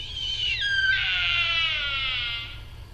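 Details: Sika deer, RSPB Arne, Dorset, 15 October 2013: a shrill whistle that jumps upward, then a long buzzy harmonic scream gently falling in pitch over about two seconds. Faint low hum underneath.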